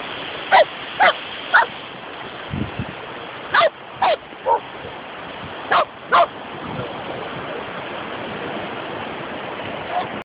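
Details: Several short yapping barks from poodles having fun at the beach come in loose clusters with pauses between, against constant seaside wind noise and a faint voice.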